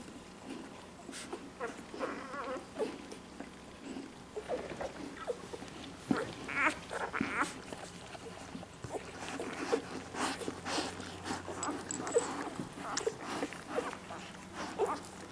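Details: Day-old Labrador Retriever puppies in a litter make soft squeaky whimpers and brief high squeals scattered through the recording, with faint human voices and a low steady background hum.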